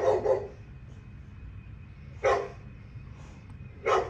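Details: Female dogs at play, a kennel's girls, giving a quick double bark at the start, then two single loud barks about a second and a half apart, with low background rumble between them.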